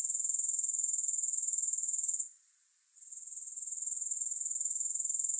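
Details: Soothing grasshopper sound without music, a continuous shrill pulsing trill that cuts out for under a second past the two-second mark before gradually swelling back to full strength.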